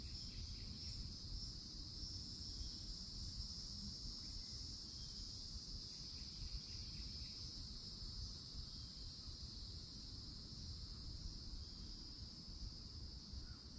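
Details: Cicadas droning at a Florida forest edge in summertime: an even, piercing buzz runs the whole time, with only faint scattered bird notes and a low background rumble.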